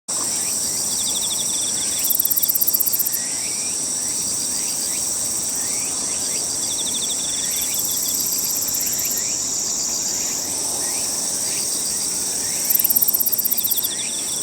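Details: Himegisu katydid calling in summer at Toyanogata Park, recorded early before cicadas start, a rapid dry shiririri trill repeated amid a dense high insect chorus, with steady high buzzing and brief louder bursts around two and thirteen seconds.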